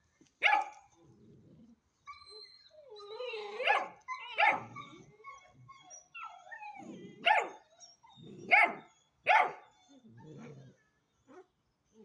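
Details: A Hanoverian Scenthound puppy aged ten weeks barking irregularly, sharp yappy barks mixed with whiny, drawn-out yelps and soft huffs between them, several calls spread over twelve seconds.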